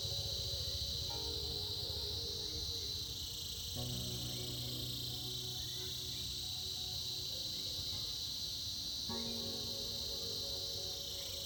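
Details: Cicadas, reportedly in the winter season, buzz in a steady, high, shimmering drone over soft background music.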